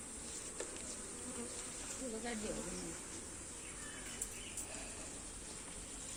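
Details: Honey bees buzzing while comb frames are shifted from one hive box to another; a low wavering buzz with brief passing tones, over a steady background hiss and occasional sharp clicks.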